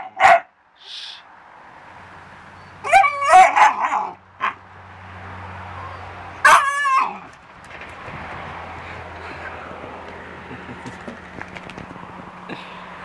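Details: A 40–50 pound English bulldog and English Staffordshire terrier mix barking: a short yelp, then a burst of rapid, rough barks near three seconds and another near six and a half seconds, between quieter stretches with a low hum.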